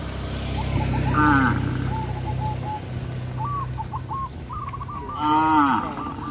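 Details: Cattle driven along a rural road by a farmer; two brief, bending moos, one early and one near the end, stand out over a low steady hum, with short repeated bird chirps between them.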